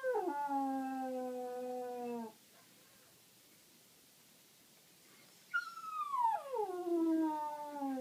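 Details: Westie dog howling at night indoors when he cannot find a place to bury his toy, a cow-like moo: two drawn-out howls, each starting higher and sliding down to a steady low tone, separated by about three seconds of quiet.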